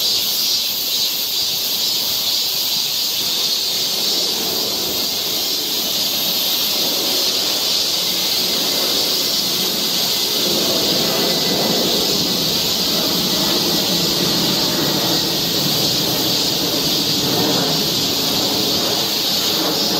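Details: Cicadas singing along a summer forest trail in Seoul, Korea: a dense, unbroken high-pitched hiss that holds steady at one level for the full stretch, with no gaps and no other clear sounds.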